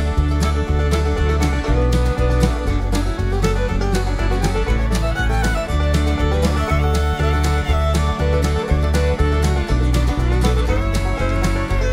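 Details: Loud bluegrass music with fiddle and guitar over a steady beat fills the recording, with no animal sound.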